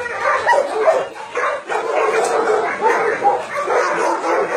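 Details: Dogs confined at a dog-meat farm and puppy mill in Nonsan, South Korea, in January 2017. The many barks blur together into a steady, harsh wall of sound.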